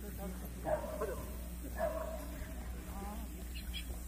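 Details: Jindo dogs at the 66th Korean Best Jindo Dog selection contest, a dog show, in the six-to-twelve-month class: two short sharp barks about a second apart, then a fainter yelp, over crowd murmur, low hum and speech.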